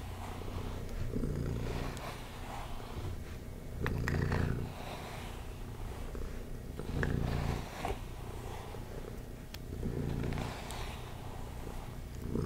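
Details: Domestic cat purring while being brushed: a steady low rumbling purr that swells with each breath roughly every three seconds, with soft brushing strokes heard on top.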